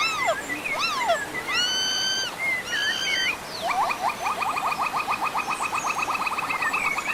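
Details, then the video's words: Monkeys calling with arched, swooping whistled notes and long held tones, then a fast, even series of short rising chirps for about three seconds at the end. "Monkeys Funny sounds"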